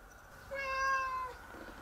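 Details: Stray cat meowing, one of several different meow styles it makes in a short time; a single clear tonal meow about a second long, steady then gently falling at the end, in a quiet setting.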